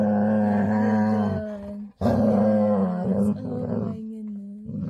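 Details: Female Labrador retriever giving a loud happy growl before bedtime indoors, a long steady rumbling drone with a hum-like tone, broken by a brief pause, then resuming; a woman's voice cooing nearby.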